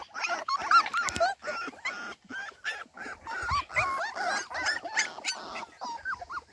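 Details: Several Cardigan Welsh Corgi puppies left in the garden without their mother whimper continuously, thin wavering whines rising and falling over one another, with occasional sharper squeaks and faint rustling.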